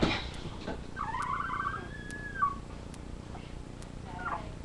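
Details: Labrador retriever puppies watched on a live camera; after a brief scuffle, one puppy gives a thin, sustained whine lasting over a second that drops at its end, then a faint short whimper.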